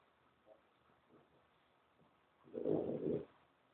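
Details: A French bulldog named Maya, while playing, lets out a brief, rough, mid-low throaty grumble lasting under a second after a mostly quiet stretch with only a faint soft sound early on.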